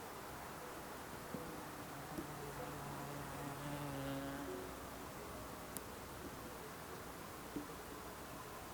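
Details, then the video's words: Bee buzzing in the quiet mountains of Switzerland's Alpstein massif, a low droning hum rising and falling over roughly three seconds as it flies near, with a few faint clicks against steady soft outdoor hiss. "bees & insects buzzing"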